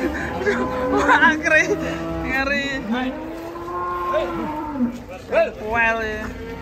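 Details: Cow on a rampage alongside its little calf gives one long, level, low moo lasting nearly two seconds, with shorter lowing before it, over excited human voices and music.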